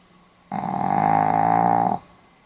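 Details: Sleeping Pomeranian dog recorded in Hiroshima on 4 November 2015, giving one sustained snore of about a second and a half, a steady nasal tone with a rich stack of overtones, beginning and ending abruptly in a quiet room.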